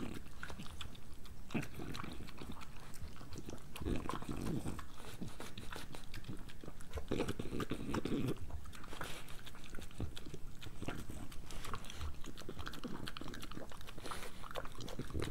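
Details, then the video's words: A pregnant French Bulldog eats breakfast in a small room, producing continuous crackly chewing and crunching, fast clicky bites packed closely together, with short louder smacking bursts near four and eight seconds. "Pregnant French Bulldog ASMR"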